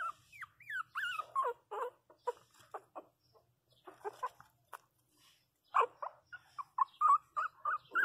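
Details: Very young Pinscher puppy crying hard after a fall in which it hit its head; rising and falling high squeals open, then a run of short sharp whimpers, a brief pause, and rapid repeated yelps.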